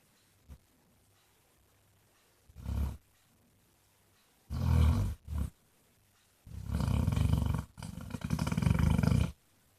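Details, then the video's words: Snoring from Jack, a Basset Hound nicknamed Mr Flops: a small snort, then growing low, grumbling snores, ending in two long, buzzy, rumbling breaths that run back to back. "Snoring basset hound thinks he's Elvis"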